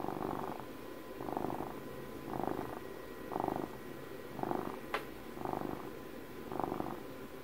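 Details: Twelve-year-old house cat purring up close for ASMR, a low pulsing rumble that swells in breathy bursts about once per second, with one brief click near the middle.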